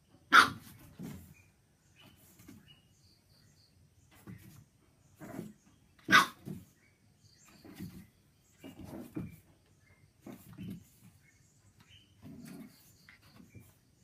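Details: A female pug puppy barks at her own reflection in a mirror for the first time, giving short, husky barks that sound almost like coughs, in scattered bursts.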